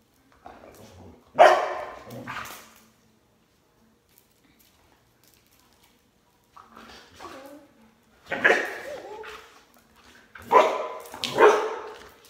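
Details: A Border Collie barks while its owner jumps rope: two sharp barks at the start, a long quiet stretch, then a cluster of loud, rough barks near the end.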